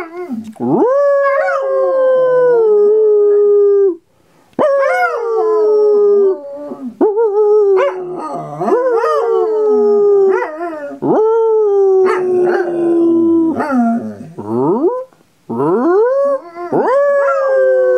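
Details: Nanook the Belgian Sheep Dog (Groenendael) howling when prompted, a series of long falling and wavering howls, about six phrases separated by short breaths, with an answering human howl mixed in.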